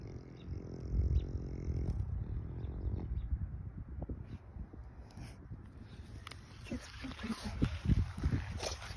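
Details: French Bulldog stud Benny (GrCH Lilac Haze Bendrix), a nose breather, breathing during and after a walk outdoors: low, rough, rapid rhythmic breaths, loudest in the first three seconds, then softer snuffling with scattered clicks and faint rustling.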